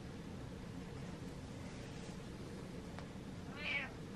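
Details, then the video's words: Domestic cat indoors meowing to get its owner to follow it: a single short, high, harmonic-rich meow near the end, after a quiet stretch with faint room hum. "Cat Meows For Follows"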